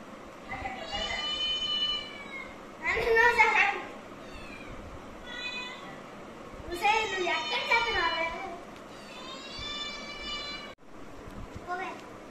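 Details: A domestic cat meowing in drawn-out, wavering cries, several in sequence with pauses between, alongside a person's speech and low room noise.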